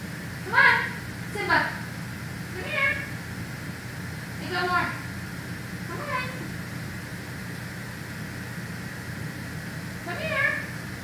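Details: Simba, a savannah cat living at Big Cat Rescue, gives six short, harmonic, meow-like calls that rise and fall, spaced unevenly across eleven seconds over a constant low rumbling hum.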